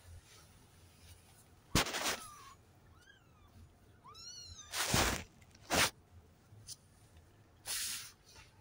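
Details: Three-week-old Maine Coon cross kittens indoors, July 9, 2023, a litter of seven with calico, smoke and grey-and-white coats; several short high mews, some rising then falling, mixed with sharp thumps and rustling handling noises.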